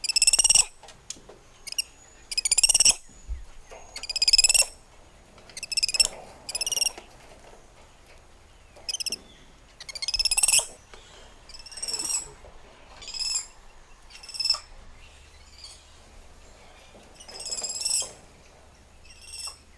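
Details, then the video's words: Spider monkeys, agile tree dwellers of the treetops, giving a run of high, harmonic whinny-like calls, each under a second long with a pulsing, trilled texture, about a dozen spread across the stretch with quiet gaps between. "Spider Monkey Symphony"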